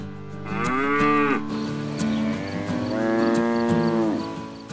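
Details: A domestic cow gives two long, deep moos, each swelling then sliding down at the end; cows probably moo to keep in contact with the herd and to express their feelings.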